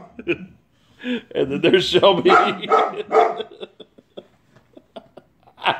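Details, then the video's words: White female Boxer, angry, barks at a worker cleaning the neighbour's gutters. Rapid, overlapping gruff barks form a dense burst in the middle, with a person talking over them and a few scattered clicks afterwards. "Angry White Boxer"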